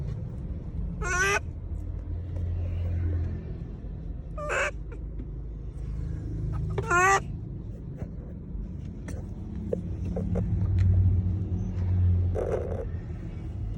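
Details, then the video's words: Monkey calls aimed at people: three short, piercing, stuttered harmonic cries in the first seven seconds, then a fainter one near the end. A persistent low vehicle rumble and small clicks run throughout. "Suara monyet panggil panggil orang, The sound of monkeys calling people"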